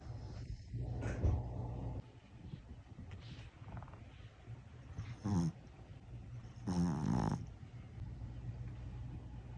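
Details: A pet dog snoring quietly at home, a low steady rumble of breaths with a couple of brief louder noises midway and near the end.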